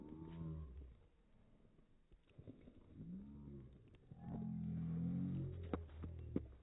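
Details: Bear, a Newfoundland dog, greets his returning owner with hugs: a series of deep groaning, moo-like vocal sounds ending in one long, sustained howl-moan, with shuffling and handling noises around it.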